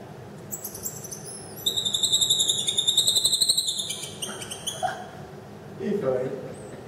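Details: Goeldi's monkey ranging freely indoors at Walter Zoo, Switzerland, on 30 December 2013, calling while curiously watching a visitor's dog: a rapid, very high, pulsed trill of about twenty notes. German conversation is heard behind it.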